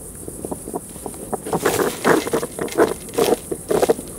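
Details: European hedgehogs living in a garden woodpile during the mating season, fighting or courting. Loud, rough, broadband huffs and snorts come in irregular bursts, thickening after the first second, over faint outdoor background.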